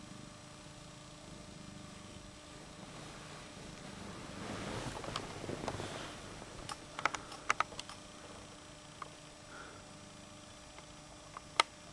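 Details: Soft fabric rustling with a steady electrical whine and a few sharp clicks indoors, without any audible animal voice.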